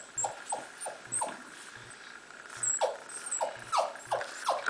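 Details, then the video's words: Miniature Pinscher whelping, giving birth to puppies indoors: a series of short, high, downward-sliding whimpering squeaks, roughly three per second and uneven in spacing, over a steady low electrical hum and faint rustling. "MIN PIN, MINIATURE PINSCHER, HAVIN BABIES, GIVING BIRTH"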